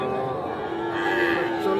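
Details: Sahiwal bull calves at the Aftabganj cattle market, Nawabganj, Dinajpur, Bangladesh, on 8 October 2024. A steady, sustained tonal moo holds one pitch throughout, with people talking in the busy market behind it.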